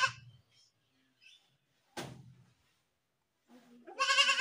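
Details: A screaming goat gives a short bleat at the start, a brief cry in the middle, then a loud sustained quavering scream that ends the recording, with quiet gaps between.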